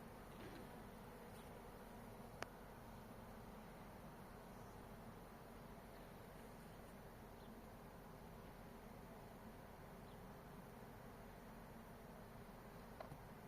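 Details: Hornets producing a steady, unbroken low droning buzz that holds evenly for the whole stretch, with no clear pauses or other voices.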